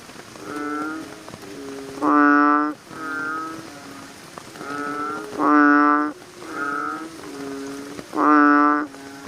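American bullfrogs give deep, droning, resonant calls at night, with a loud burst about every three seconds.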